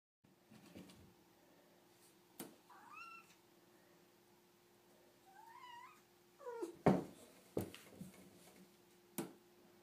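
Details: Domestic cat indoors, waiting impatiently for its dinner: several short, rising-then-falling meows, thin and slightly wavering, spaced a few seconds apart, with sharp clicks and knocks in a quiet room with a steady low hum.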